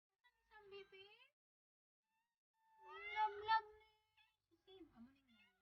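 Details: Pet cat with little kittens, a cat acting as nanny to baby squirrels; a short harmonic meow, a pause, then a louder wavering two-part meow and a final falling mew.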